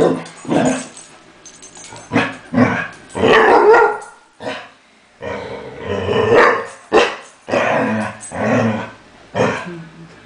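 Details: Basset Hound; growl and bark; displeasure toward another dog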